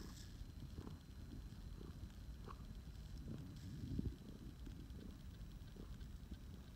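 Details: Phoenix, a rescued male flame point Siamese cat, purring during snuggle time: a low, steady rumbling drone with soft rhythmic pulses roughly twice a second, plus a brief rustle near the middle.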